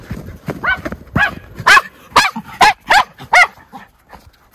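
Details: Two Miniature Schnauzer brothers let loose in deep February snowpack in Aroostook County, Maine; a steady run of harmonic, medium-pitched barks about every half second, some overlapping, with crunching snow and movement beneath.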